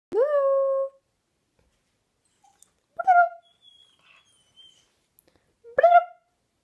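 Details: Fluffy puppy crying in reaction to a funny noise indoors: a long clear whine opening the recording, then two shorter rising yelping cries near three and six seconds, with a faint thin whistle-like tone between them.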